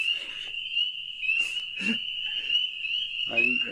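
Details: A dense spring peeper chorus rings out as a steady, high, piercing wall of peeps in spring, one peeper starting and the rest following, with people talking over it and a wood frog beginning to call in.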